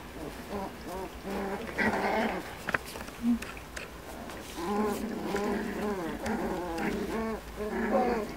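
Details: Miniature Schnauzer puppies at 45 days old, one of a litter of eight, during play-fighting; repeated wavering whines and squeals in a steady chain throughout, broken by a few clicks and brief quiet gaps.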